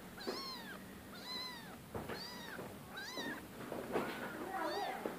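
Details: Rescue cat giving a run of rising-and-falling meows, five or six in quick succession about one second apart, each with a bright harmonic arch, over a soft background hum.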